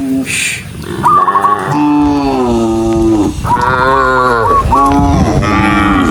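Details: Herd of dozens of tame cattle on the move, lowing repeatedly: long, deep, harmonic moos that waver slightly, one after another, over low rumbling background noise.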